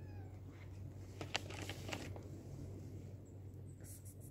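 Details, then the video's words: A black stray cat, just jumped down, calls out to his friends with a short, tonal meow in the middle. A steady low hum runs underneath, with a brief rustle near the end. "Black cat jumped down then called his friends"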